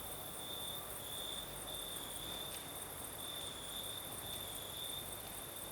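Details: Crickets sing through a Crimean night in the south, with a night breeze: an unbroken high shrill trill rising and falling in intensity, plus a faint click and constant breeze hiss.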